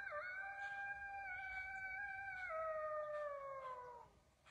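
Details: At dusk in the woods, a coyote howls right near a deer stand, giving a long, sustained howl that holds steady and then slides downward as it fades.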